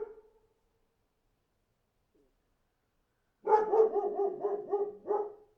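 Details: After a fading bark and a pause of about three seconds, a dog breaks into a rapid string of about six barks, then a final separate bark.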